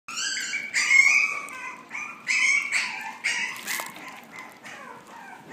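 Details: Young female Yorkshire Terrier, steel blue and tan, born December 2016, gives high, nasal whining yelps in quick overlapping bursts, strained and wavering, with a brief sharp click near the end.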